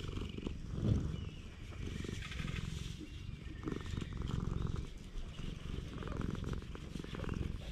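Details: Affectionate stray cat on a cat island, recorded on a GoPro HERO8, purring close up: a continuous low, throbbing rumble with rhythmic pulses, swelling and fading slightly, plus light rubbing and rustle.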